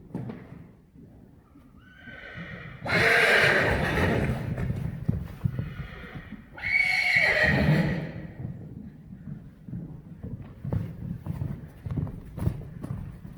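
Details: Weaned Friesian horse foals running loose and playing in an arena; two loud, shaky whinnies rise and fall at about three and seven seconds over steady clip-clop of hooves and thudding footfalls.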